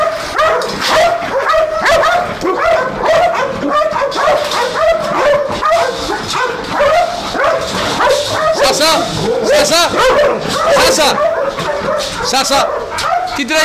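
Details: Belgian Malinois guard dogs at a large industrial area near Nafplio, Greece, keep up a frenzied stream of whines and yips while a man speaks in Greek over the noise.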